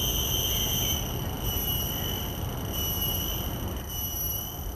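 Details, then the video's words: Common cicada calling, recorded in the field with Sennheiser 416 and Deity S Mic-2 shotgun mics on a Zoom F3; a sustained shrill tone with overtones, dipping briefly a few times, over low rumbling background noise. "Calls of a Common Cicada"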